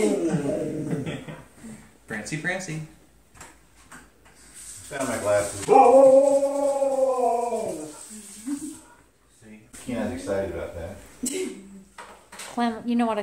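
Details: A male husky joins people in a howl-off, giving a long, arching howl with rich harmonics mixed with the people's voices and howls.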